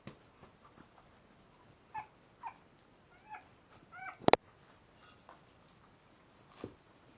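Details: Five-week-old French Bulldog puppies, sired by an AKC champion, sleepy at 2am after eating. Soft, high, tremulous whimpers and squeaks come in short scattered bursts over a quiet indoor background. A single sharp click sounds midway through.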